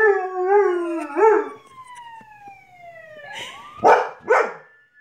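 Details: Lucy, a dog grown more vocal in recent weeks, opens with a wavering, quivering howl over a falling siren tone, then breaks into two loud yelping barks.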